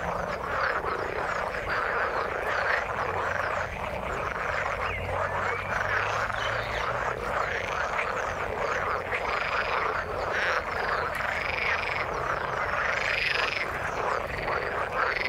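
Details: Many frogs in the water form a thick chorus, croaking calls overlapping constantly, with a few brighter arched notes standing out near the end.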